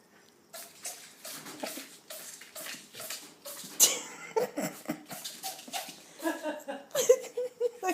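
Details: Wiggles, a baby ferret, in a sneezing fit indoors: short, sharp, breathy bursts come in quick succession, some clustered and some spaced, with soft human voices murmuring in sympathy between them.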